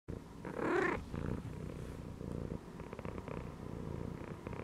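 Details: Domestic cat chilling and resting while lying inside a gym belt, purring steadily in low, pulsing rumbles, with one brief louder, higher cry near the start before the soft purr resumes.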